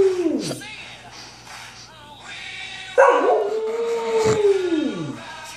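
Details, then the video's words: Samoyed puppies howling with Queen's "We Will Rock You", a duet after a sister wakes: a drooping howl, a pause, then a long sustained wavering howl that slides down at the end, with faint music. "Awesome puppies singing Queen "We will Rock you""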